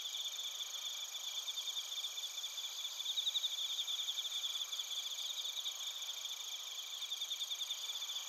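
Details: Night chorus of crickets, suzumushi among them, from Narita in Chiba Prefecture, Japan: steady high shrill trills overlapping, with a brighter run of quick pulsed chirps in the middle.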